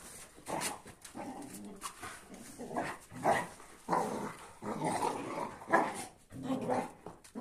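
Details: Kuvasz angry at a Boerboel and a sheepdog while the dogs sort out who's boss: continuous snarling growls broken by irregular gruff barks, rising in intensity toward the end.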